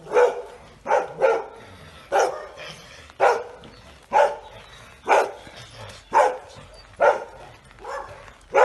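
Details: One of two anxious Weimaraners, Frida and her son Sauro, at home in Rovereto in Trentino, Italy, barks loudly and steadily, single and doubled barks coming about once a second.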